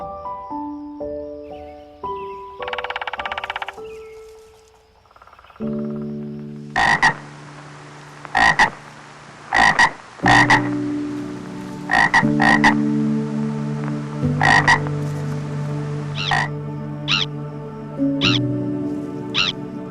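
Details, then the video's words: Frog croaking in short, abrupt bursts, singly and in pairs, a few seconds apart, with faint background music. "Frog Sounds"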